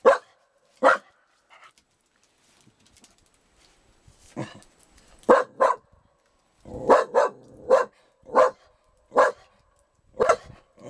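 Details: A dog barks in bursts: two early barks, a pause, then a quickening run of about a dozen short, punchy barks, some in pairs. The background stays nearly silent.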